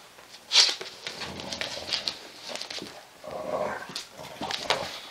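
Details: An English Bulldog female and her puppy tussle on an indoor play mat; a brief whining, whimper-like vocal midway, amid sharp clicks, snorts and scuffling during the play fight.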